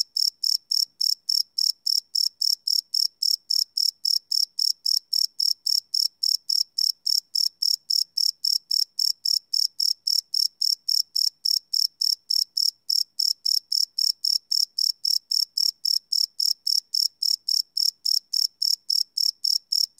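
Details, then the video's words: Steady nocturnal cricket chirping, recorded live on a Sony PCM D100: a continuous train of high, ringing pulses at a brisk, even pace of almost four a second for twenty seconds. "Cricket Chirp Sound - Cricket Sounds at Night"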